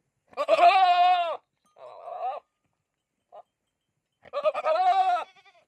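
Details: Goat bleating: two long, wavering, nasal bleats with rich harmonics, a shorter quieter bleat between them and a brief faint sound, with clear pauses and no other noise.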